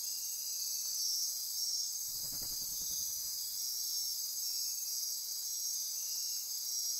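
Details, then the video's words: Dense midnight insect chorus in Osa Peninsula forest near Corcovado National Park, Costa Rica; continuous shrill buzzing and pulsing trills, interrupted around two seconds by a short low fluttering burst. "Midnight Insect Chorus"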